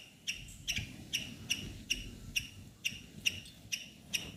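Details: Squirrel in a neem tree giving sharp, high chipping squeaks at a steady beat, about two per second, over a soft low background rumble.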